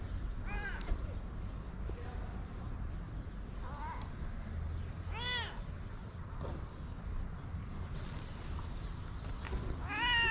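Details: Hungry white stray cats with blue eyes on a street in Morocco, being fed. Short, clear meows recur every few seconds, each arching up then down, over constant low outdoor rumble and faint rustling.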